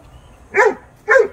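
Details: Great Dane barking while confronting a rat, showing no fear: two deep, loud barks about half a second apart against a quiet background.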